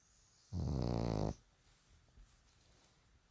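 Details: Sleeping bulldog snoring loudly: one long rough, low rattling inhalation lasting under a second, then quiet room noise.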